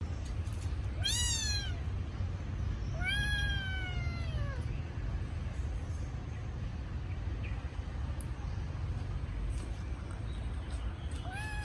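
A kitten cries with high, thin meows that bend downward in pitch, repeated a few times with pauses between. It is calling for its missing mother over a steady low rumble of background noise.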